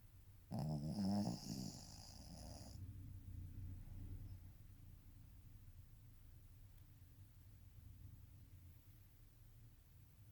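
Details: Ojikō-chan the Shih Tzu gives one loud, vibrating snore lasting about two seconds, rough and nasal, then settles into soft, low breathing in a quiet room.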